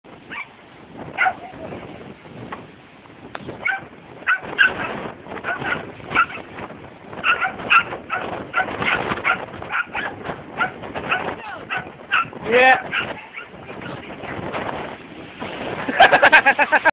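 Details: Two dogs barking at the incoming tide on a beach, kept from running onto the sand; sharp barks and yips repeat rapidly and overlap through most of the stretch, growing louder toward the end.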